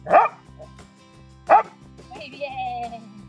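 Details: Dog barking on command during training while the trainer hides a toy behind her back; two short sharp barks about 1.3 seconds apart, then a woman's voice praising, with background music throughout.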